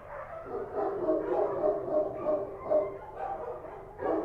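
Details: Kochi street dogs in Kabul barking at night: many dogs give rhythmic, mid-pitched barks at a quick pace of about three a second, with a sharper bark at the close.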